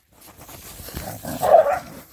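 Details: Laika hunting dogs greeting their owner's arrival with barking. Some muffled rustling, then one hoarse, broad bark near the end.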